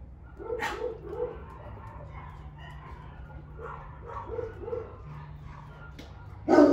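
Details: Four Golden Retrievers kept together at a dog zoo, filmed in March 2022, give short, quick barks in small bursts over a low background hum.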